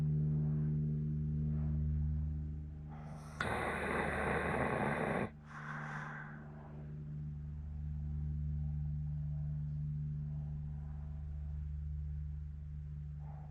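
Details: Elderly Hokkaido dog, fourteen years old, asleep in Sapporo, snoring with a loud harsh rasp lasting about two seconds and a fainter follow-up breath, over a steady low background hum.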